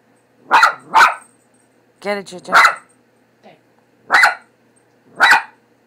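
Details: Pet dog Leo, scared of the cat image printed on a cat food bag, gives two quick barks, then a pause and three more spaced barks. A short burst of human speech falls in the middle.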